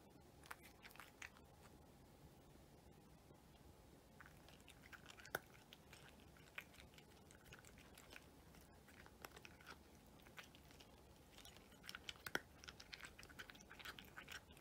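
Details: A cat eating a meal indoors in a small room: soft, irregular crunching and biting clicks scattered through the recording, growing busier toward the end, over a quiet background hum.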